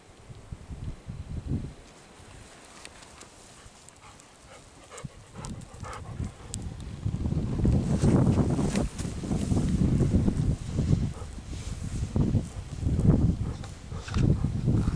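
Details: Golden Retriever in a farm field, panting: quick breathy bursts about three per second, soft at first and growing louder and steadier from midway, with low rustling and a little wind around it.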